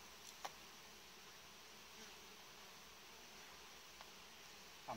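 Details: Hive of honey bees kept with frames in warm-bed orientation gives a continuous, even droning buzz, broken by a few sharp knocks or clicks near the start and end.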